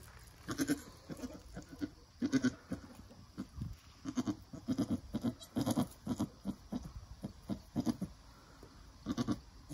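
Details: Mother Nigerian Dwarf goat with her new doeling, from birth to nursing, the doe encouraging her young: steady series of short, deep, muffled grunts repeated roughly every half second to second across the recording.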